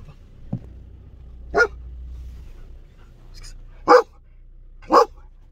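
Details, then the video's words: Belgian Malinois guard dog barking a warning: three loud, sharp single barks spaced one to two seconds apart after a quieter low woof, over a faint low hum. "Malinois qui Aboie"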